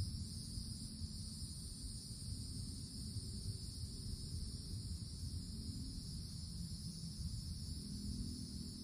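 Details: Cicadas in summer woods, beneath the forest canopy: a steady, unbroken high buzzing drone at two shrill pitch levels that holds evenly throughout, over a constant low rumble.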